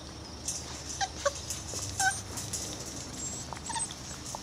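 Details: Irish Terrier puppies, six weeks old, basking in the sun, give short thin squeaks and whimpers in quick succession early on, then a last faint squeak, against constant background noise.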